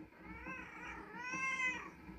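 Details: A hungry free-roaming village cat gives two drawn-out, wavering meows, asking to be fed after following its owner to a shop and home to the kitchen for tuna.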